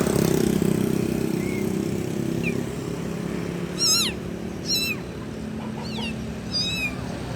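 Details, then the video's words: Kitten calling for its mother: after a few seconds of low engine-like rumble, four loud, high, bending meows come about a second apart, with faint shorter squeaks between them. "ANAK KUCING MEMANGGIL INDUKNYA [ suara Keras ]"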